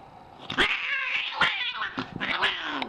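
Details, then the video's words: A very angry cat produces continuous harsh, wavering yowls broken by spitting hiss bursts roughly every half second, ending on a descending growl. "VERY angry cat!!"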